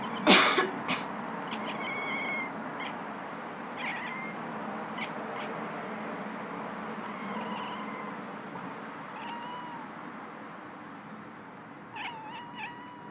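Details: Domestic cat meowing, annoyed by its owner coughing indoors; a sharp cough bursts out at the start, then several short, curved, harmonic meows follow at intervals, with further coughs near the end.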